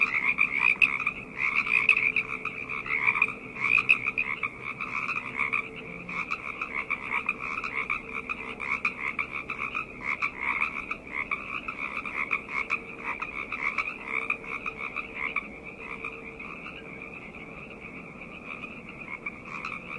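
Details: Frogs calling together at night in a thick, unbroken chorus; fast pulsed croaks stack into a shimmering buzz, louder in the first seconds and easing slightly toward the end, with a faint low hum beneath.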